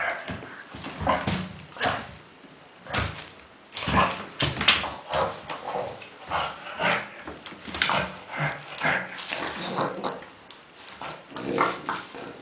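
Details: Playing in a pile of tennis balls, the dog Kuba gives loud breathy grunts and snorts, roughly one burst every second, some sharper and louder, sounding more like a pig than a dog.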